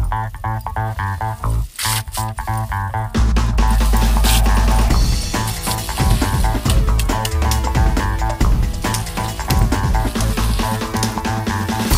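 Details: Loud band music with guitar, bass and drum kit plays throughout, with no animal sound.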